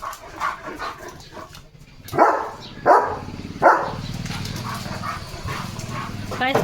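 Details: Leo, a German Shepherd in guard mode as a parcel arrives, lets out three sharp, clipped barks less than a second apart over a background of a person speaking.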